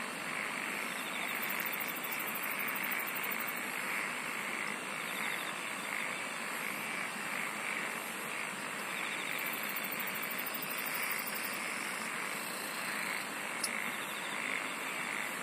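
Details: Singing insects fill the air with an even, droning chorus; shrill, rapidly pulsed trills rise above it in repeated bouts, and a single sharp tick breaks through near the end.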